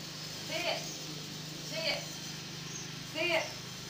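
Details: Jack, a pet dog, reacts as a broom sweeps at home: three short, tonal, whiny yelps spaced roughly 1.3 seconds apart, each with a bright ringing overtone, over a steady low household hum.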